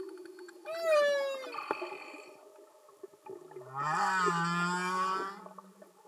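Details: Humpback whale song underwater: a falling harmonic whoop, then a pause with faint clicks, followed by a low droning moan with a bright, buzzy upper layer lasting over a second.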